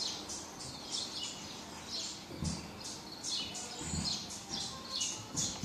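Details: Calling for its mother, a baby marmoset gives rapid high-pitched chirping cries in irregular bursts, with occasional dull bumps and handling noise underneath.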